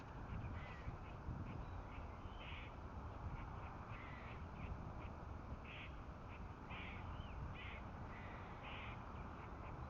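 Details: A squirrel gives harsh, rapid barking alarm calls in short repeated bursts, warning of predators, with two cats nearby.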